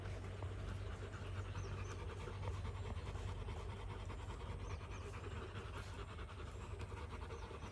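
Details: Rottweilers of one family after fighting, day 59: rapid, steady panting as a dense run of breathy pulses, with a constant low hum underneath.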